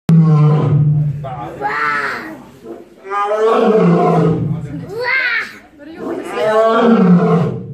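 A Barbary lion gives deep, rumbling roars in three drawn-out bouts, each rising and then fading.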